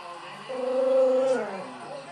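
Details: Paula, a pet dog, vocalizes in the evening to win the attention of another dog, Buster: a single drawn-out whining tone under a second long that holds steady, then bends downward as it fades. The room is otherwise quiet.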